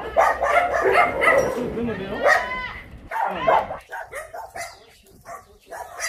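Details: Shelter dogs at the Yangsan Mindeulle Shelter during a volunteer visit, several barking and yelping in dense overlapping bursts for about three seconds, then sparser, shorter calls, with human voices mixed in throughout.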